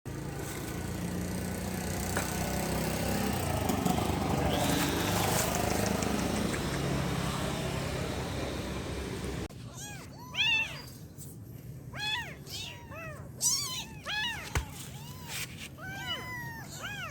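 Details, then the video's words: Rescued kitten mewing in a rapid series of short, high, arched cries after about nine seconds of loud rumbling engine-like noise that stops abruptly. "Suara Anak Kucing Mengeong"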